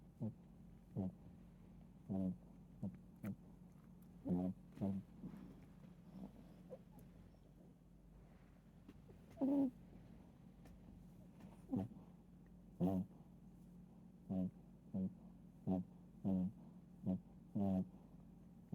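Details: Chihuahua snoring while asleep, short rasping snorts with a low buzzy rattle, arriving in irregular bursts roughly every one to two seconds against a quiet indoor background.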